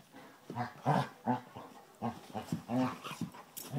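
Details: Basset Hounds Tracker and young puppy Ranger play-fighting: a quick run of deep, throaty growl-barks, about eight short bursts in under four seconds, uneven and overlapping.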